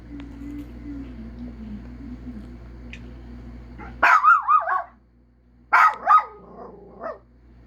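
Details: Domestic dog breaking into wavering, yodel-like barks after about four seconds of quieter background tone and murmur, then a second pair of howling bursts and a brief final yip.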